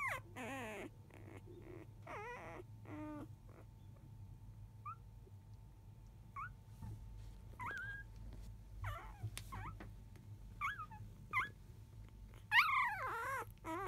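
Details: Five-day-old field Labrador Retriever puppies indoors after 1 p.m., mother dog off eating: scattered short whines and squeaks with quiet gaps between, a loud burst of wavering cries near the end, faint electrical hum throughout.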